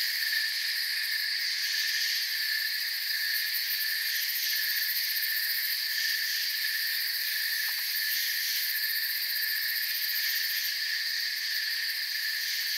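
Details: A calm forest with a chorus of crickets: constant high-pitched ringing in stacked bands, a slight pulsing texture, and one brief faint click midway. No other sounds.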